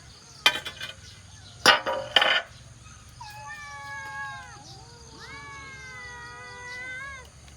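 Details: A cat gives two long, drawn-out meows with a wavering, slightly falling pitch. They follow a few sharp knocks and clatters in the first seconds, over a low steady background hum.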